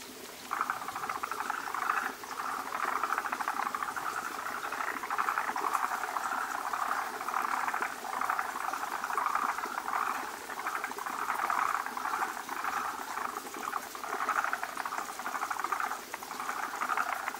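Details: Forest green tree frogs gathering at a breeding site, many males around a large egg-laden female as foamy egg masses are laid; a dense chorus of rapid, rattling, clucking calls pulses continuously throughout.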